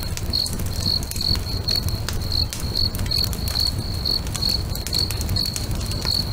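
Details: By a lake at sunset, crickets keep up regular bright chirps, close to two per second, mixed with frequent crackling pops from a bonfire and a deep, rushing fire murmur.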